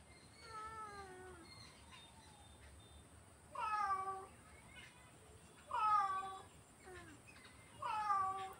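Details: Repeated cat meows, a soft falling mew first, then louder clipped calls roughly every two seconds, each with a sharp rise and quick drop in pitch.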